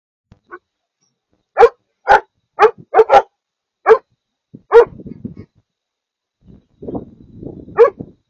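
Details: Maremma Sheepdog pups taking their cue from an older dog, learning: a series of loud, sharp barks about every half second, then softer low growly grumbling and a final bark.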